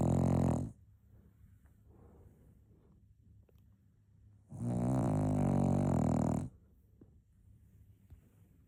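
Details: Cocker Spaniel puppy snoring during a nap: the tail of one raspy snore, a quiet gap of soft breathing, then another long, loud, droning snore of about two seconds.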